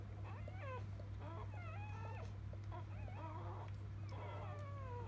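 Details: Newborn field-type Labrador Retriever puppies just after birth to biscuit, a 2017 JFA Grand Champion; several overlapping high, bending whines and squeals, some sliding downward, over a steady low electrical hum.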